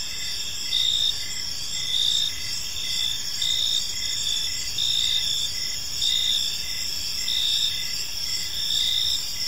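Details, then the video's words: Many crickets sing together in a park at dusk, their high, rhythmic chirps rising and falling in regular pulses just over once per second, layered over a constant insect drone. "Park Serenade: Cricket Sounds in a Peaceful Park | Evening Ambience"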